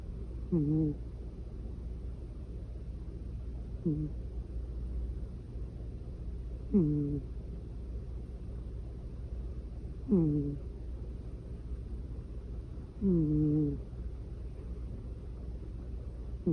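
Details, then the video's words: Sleeping cat snoring: five short, low, tonal snores spaced roughly three seconds apart, each a slightly wavering nasal tone, over a steady low hum in a quiet room. "고양이 코골이"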